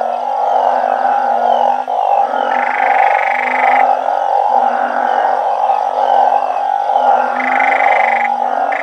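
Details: Night chorus of banded bullfrogs and balloon frogs kept in a backyard garden mimicking their natural habitat. Deep, repeated groaning notes overlap in a constant roar, with brief brighter buzzy bursts every few seconds.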